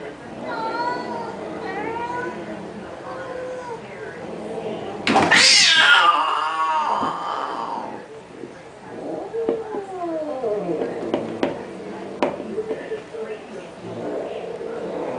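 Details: Indoor cats squabbling over a pink toy Mustang: a series of wavering, moaning meows, then a sudden loud harsh yowl, followed by quieter bending wails and a few sharp clicks. People talk in the background.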